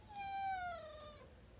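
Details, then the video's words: Indoor pet cat meowing while joining in a conversation with its owner: one drawn-out falling meow, clear and harmonic-rich, lasting about a second, with a person's voice heard around it. "Cute cat interrupts conversation"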